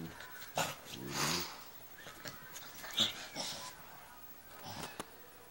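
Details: Two Doberman pinschers playing together, one running into the camera; breathy huffs and snorts with a short harmonic growling burst early on, then scattered puffs and knocks, while a person speaks nearby.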